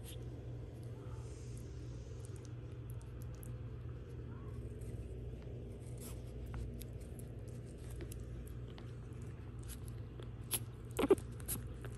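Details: Quiet indoor hum with scattered soft clicks and scrapes, ending in a couple of brief knocks, without any bark, whine or other animal voice.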